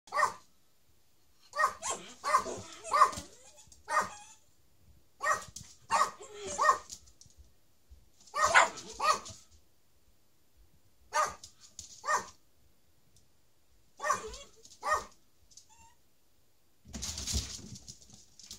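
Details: Miniature Schnauzers, several dogs indoors, excited as their owner comes home: bursts of yelping barks and whines in clustered runs throughout, with short pauses between, and a broad noisy rush near the end.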